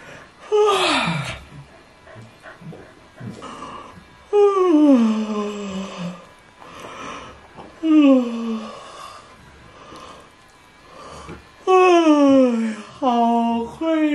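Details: Alpha, a pet Border Collie, yawns indoors in a test of whether yawning is contagious: four drawn-out, whining yawns that slide downward in pitch, spaced a few seconds apart, with quiet room sound between them.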